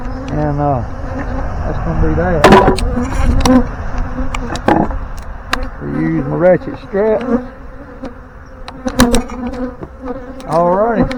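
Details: Swarm of honey bees being settled into a hive box by a beekeeper, bees circling near; droning buzzes rising and falling in pitch in separate bursts, with loud knocks, clatter from handling equipment and rustling between them.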